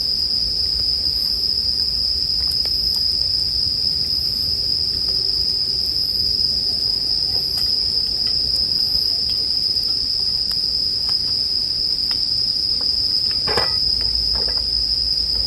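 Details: Steady, high-pitched ringing of bell crickets over a quiet campfire for sleep. The even chirring tone continues throughout, with light crackling and one louder burst of snapping wood near the end.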